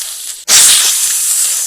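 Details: A king cobra (Ophiophagus hannah) gives a sudden, loud, breathy hiss that starts at once and holds steady for over a second, airy and high like escaping steam.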